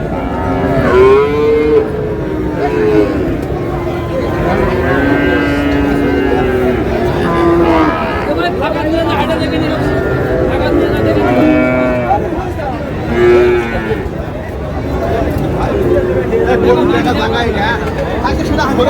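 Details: Friesian and cross-breed cattle at the Raniganj cattle market in Dinajpur on 6 August, giving drawn-out, wavering moos with rich harmonics several times, over steady crowd chatter and men talking nearby.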